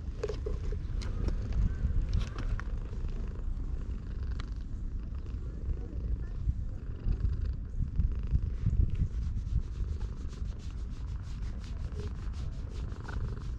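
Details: Low, continuous rumbling purr from a stray cat stroked as it basks in the sun at a shrine in Japan, captured with a GoPro HERO8; even pulsing texture, light rustling and tapping on top.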